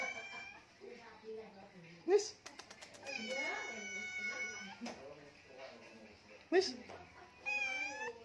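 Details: Persian kittens playing indoors give drawn-out, arching meows, some rising then falling, in several bursts over eight seconds, mixed with people talking and short sharp knocks.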